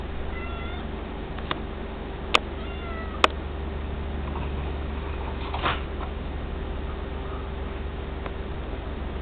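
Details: Tiger, a tabby cat, friends with a White Swiss Shepherd Dog called Jingy, gives two short, high meows that slide downward early on, over steady room hum, with a few sharp clicks and a soft rustle afterward.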